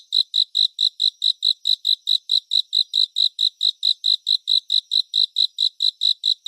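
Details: Unbroken run of cricket chirps, around twenty-six bright, evenly spaced pulses over six and a half seconds, with no other sounds. Meant as relaxing sleep ambience.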